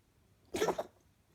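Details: Female pet cat during a coughing episode that happens only at night: one short, harsh, breathy hack of about a third of a second, with quiet before and after.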